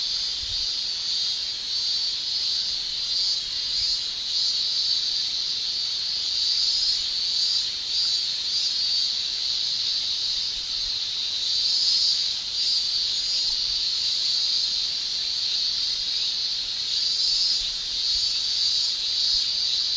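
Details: Male Japanese cicadas shrilling in summer through their tymbals, a sustained, uniform high-pitched buzz with gentle pulsations and nothing else audible.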